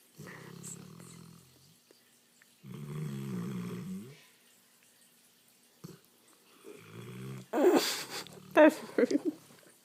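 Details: Sleeping English Mastiff giving low, droning snores in three main bouts with quiet pauses, then a short snore, followed near the end by a human voice and rustling handling noises.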